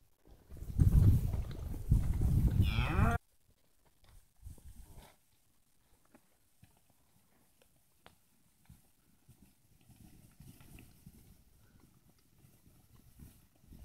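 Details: Steers in a group of sixty averaging 220 to 230 kilos at Vera, Santa Fe; one loud, deep, rough moo lasting about three seconds opens, then quiet shuffling and faint scattered knocks for the rest.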